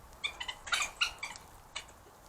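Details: Trail camera in Cambridge, UK, 4 March 2022, 9:19 pm: three badgers play fight, giving rapid, high-pitched squeaky chitters and yelps in a quick run of short bursts, with a louder harsh cluster in the middle.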